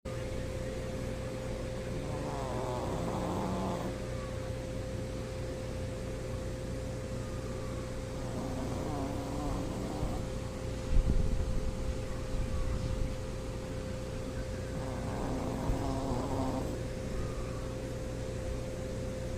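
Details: A Shih Tzu snores in slow, raspy breaths about every six seconds over a steady hum.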